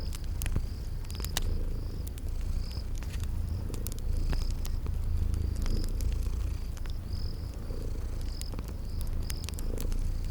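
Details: Cozy purr of sleeping kitties, a low steady drone with soft pulsing, mixed with crackling fire snaps and a cricket chirping in regular short high bursts, spring garden ambience.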